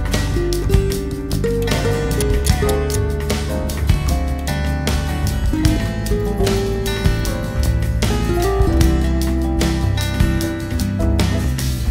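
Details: Steady strummed acoustic guitar music with a low bass line throughout and no animal voices.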